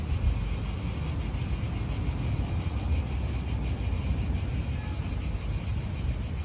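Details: High, sizzling cicada chorus in an Italian park, an even buzz with subtle rhythmic wavering, layered over heavy low wind rumble and nearby traffic.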